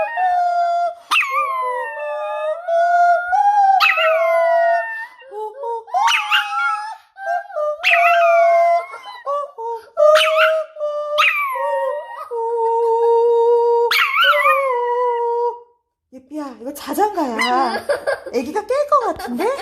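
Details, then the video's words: Pet dog howling along as if singing a lullaby; a string of wavering, mournful howls, each starting high and sliding down into a held tone, repeated every couple of seconds, ending in a rougher, broken yowling. "자장자장~ 자장가부르는 강아지"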